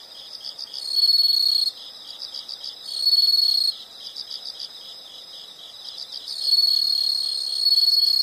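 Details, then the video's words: Insect chorus of high, shrill trills in three loud bursts of roughly one second each, separated by quieter rhythmic pulsing chirps from other insects. "the sound of insects"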